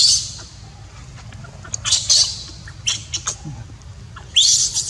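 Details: Young monkey left uncared for by its mother, crying: a few shrill, raspy screeches separated by quieter pauses, with a loud final burst near the end and soft background hum underneath.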